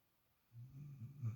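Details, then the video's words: Sleeping female puppy indoors gives a single short, low rumbling snore that swells and ends in a brief snort. "Snoring Puppy"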